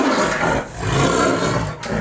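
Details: Wayanad tiger, freshly captured, gives a harsh, drawn-out roar filling most of two seconds, swelling twice with a brief dip between, while faint voices sit underneath.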